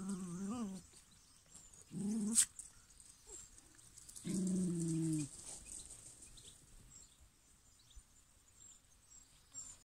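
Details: Six-week-old Maremma Sheepdog puppy giving three low, tonal vocalizations: a brief wavering whine at the start, a short sharp yelp near two seconds, then a steadier, drawn-out whimper lasting about a second. Long quiet gaps between them, with faint high hiss.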